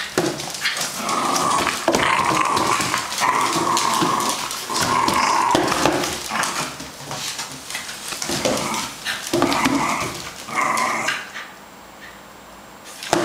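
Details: A 2-year-old male fox terrier at home in Hong Kong on a weekday evening, attacking and chewing a carton box after being placed inside it; continuous snarling growls with short barks and scraping cardboard noises, ending quieter.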